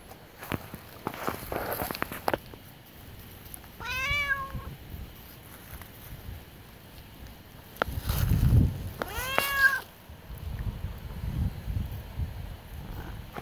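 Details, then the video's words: Simba, a pet cat, outdoors at night standing guard: two clear, arching meows about five seconds apart, each rising then falling, among rustling, crunching footsteps and low background rumble. "Simba Talks A Lot"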